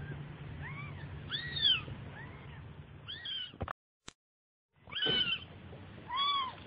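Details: Baby cat mewing repeatedly in thin, bent, high-pitched cries; a brief total silence cuts in midway, after which louder, sharper meows return over a soft low hum.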